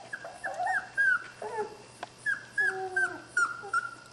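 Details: Skar's puppies at play-fighting, making quick overlapping whines and short yelps, steady high tones alternating with lower sliding cries, with a faint low hum underneath.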